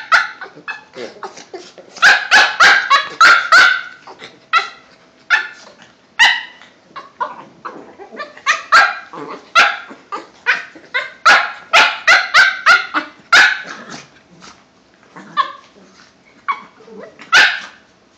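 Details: Two Cavalier King Charles Spaniels, a five-month-old and a two-year-old, playing together indoors: bursts of sharp, harmonic yips and barks in rapid clusters with short quiet gaps, several per second at the peaks.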